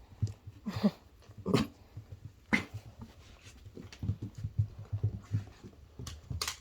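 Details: Senior Miniature Dachshund, fourteen years old, greeting its owner after they come home, with odd fur-seal-like vocalising: a run of short, throaty grunting whimpers and yelps in irregular bursts, with a woman's voice at the start.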